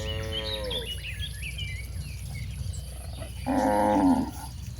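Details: Cattle roaming toward a broad pasture: a moo tails off at the start, then after a quiet stretch of high chirps a short, strained, buzzy moo bursts out near the end.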